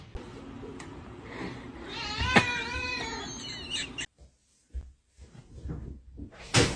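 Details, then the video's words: Domestic cat giving a single drawn-out, wavering meow of about a second, rich in overtones and slightly warbling in pitch, followed by quieter rustles and clicks in a room, with a person's voice nearby. "funny cats talking"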